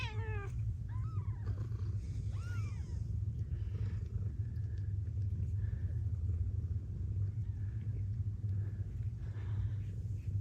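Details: Ragdoll cats at a breeder's home in Australia, where blue bicolour mother Gambit gives birth to a litter of kittens: a steady, deep purring rumble runs throughout, with a few brief high, squeaky rising cries in the first three seconds.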